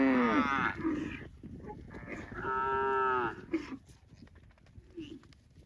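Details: Cow mooing twice: a brief harmonic moo at the start, then a longer, steady, level moo lasting about a second, followed by quieter scattered farmyard noises.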